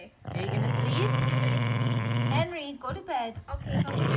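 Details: Jack Russell Terrier guarding his beloved stuffed monkey and growling to keep others away: a low, steady rumbling growl for about two and a half seconds, followed by a woman speaking to the dog.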